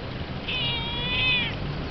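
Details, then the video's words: Kitten visiting the yellow cat's territory, a new guest meeting the resident cat: one drawn-out, high, thin meow lasting about a second, holding steady pitch with a slight rise and fall, over faint low background hum. "Kitten Meets Cat"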